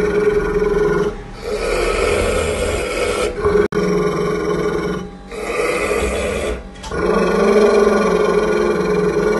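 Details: An angry pit bull growls at its owner during feeding, in long, rough, rumbling bouts broken by brief pauses for breath.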